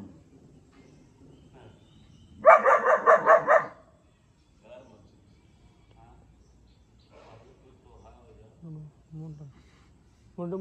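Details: German shepherd puppy aged four months letting out one burst of about six quick, high barks in the middle, surrounded by quiet talking and soft background sounds.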